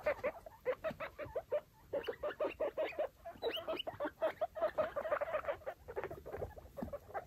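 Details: Five baby foster guinea pigs and their mother exploring a freshly cleaned cage; rapid runs of short, chirpy chutting squeaks in quick bursts, repeated almost continuously with brief pauses, plus soft rustling of bedding.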